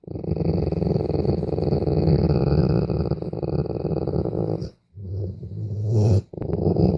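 A dog grumbles in a low, throaty rumble, a growl-like sound made out of pleasure.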